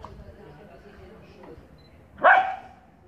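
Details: Teddy, a poodle, lets out one loud, sharp, harmonically rich bark near the end, after about two seconds of faint murmured speech and quiet room noise.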